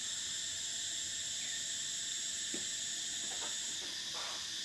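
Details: Summer cicadas holding a continuous shrill, hissing whine that drops slightly near the end, while a few soft bird notes sound faintly underneath.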